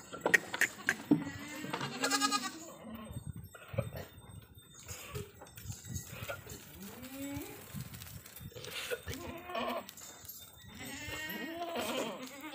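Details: Goats of Indian desi breeds on a farm bleating in wavering, nasal calls, several bleats spread across the recording, with people talking and farm noise between them.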